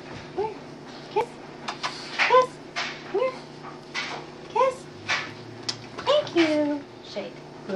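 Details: Boston Terrier named Yoda, a pet dog indoors, 'singing' while performing tricks for a treat: short rising whiny yelps, some bending up then down, repeated about every half second, with a person's voice in between.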